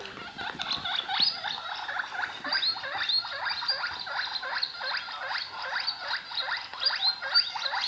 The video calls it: My Guinea pig makes some noises!